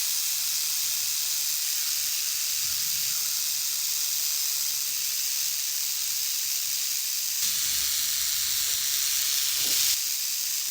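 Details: Canebrake rattlesnake in South Carolina rattling a warning to stay away: a continuous dry, high hiss-like buzz held steady throughout, with a few faint low knocks near the end.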